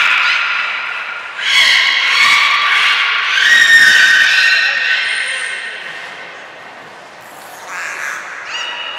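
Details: Captive belugas at Port of Nagoya Public Aquarium during an all-animal training session, 2 April 2023: dense overlapping harmonic squeals and chirps in the first half, softer calls fading, then faint quick notes later.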